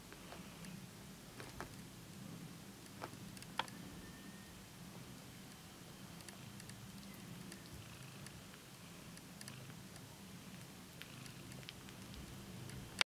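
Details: Bengal kitten Moonbeam kneading with its paws indoors; a soft, low rumbling purr swells and fades in steady rhythmic waves, with scattered light clicks and tapping in a small room.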